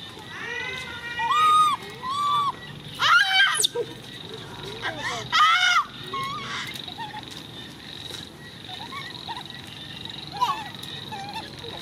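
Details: Screams from Coco, a baby monkey: loud, harsh, harmonic bursts come in clusters early on, mixed with arched squeaks. The calls fade to occasional softer squeals later, over a constant background hum.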